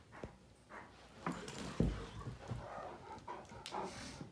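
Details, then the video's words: Two male Great Danes, Finn and Magic, mouth fighting in play, Finn pestering and trying to dominate Magic; short rough grunts and growl bursts, uneven and broken, with scuffling and huffing breaths between. "Great Danes Mouth Fighting"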